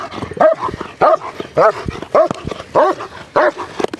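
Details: A big, powerful German Shepherd in protection training barks in loud, harsh bursts, about seven in four seconds, each a short arched bark with a small gap between. A handler's voice is faintly mixed in.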